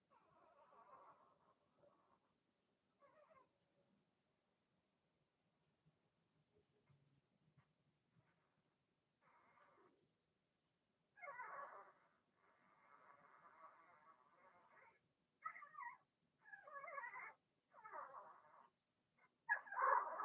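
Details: Blenheim Cavalier King Charles Spaniel puppies, part of Remy's first litter of six, in an indoor pen: scattered soft whines at first, then a quiet stretch, then louder, more frequent nasal cries and yelps crowding together toward the end.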